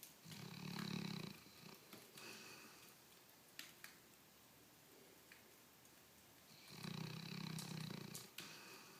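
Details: An almost 16-year-old female dog, asleep indoors and wearing a cone after leg surgery, snores in two long, low, rumbling breaths about six seconds apart, with faint rustling between them.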